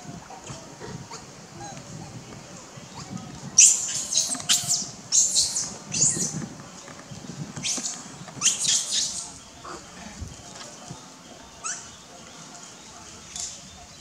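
A hungry baby monkey screeches in harsh, high bursts, protesting to get its mother's attention.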